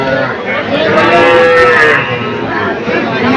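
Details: Desi and Sahiwal calves for sale at Setabganj cattle market, Dinajpur, Bangladesh, on 24 June 2024; one drawn-out, mid-pitched moo lasting about a second rises over dense crowd chatter and men bargaining over prices.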